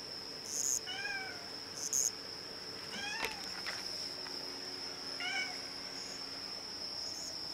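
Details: Former stray orange-and-white kitten, now nearly a house cat, meowing back at a chirping cricket indoors in Japan. Three short bent meows come about two seconds apart over the cricket's continuous high, shrill trill.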